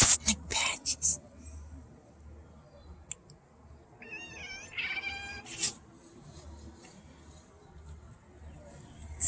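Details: A cat, one of four family cats chattering and chirping at birds outdoors, gives one short, bent, chirpy meow after a few sharp clicks and rustles; a person murmurs faintly nearby.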